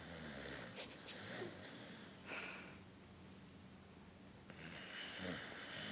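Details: Tired beagle asleep indoors, snoring, twitching and waking startled; soft, raspy, breathy snores with broadband wheezing rasps repeating irregularly through a small room.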